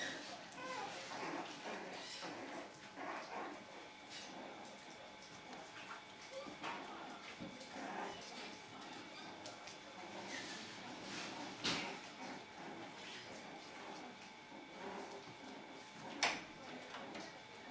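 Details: Playing puppies let out scattered yips, squeaks and whimpers, irregular and overlapping, amid rustling, soft thumps and quiet human talk.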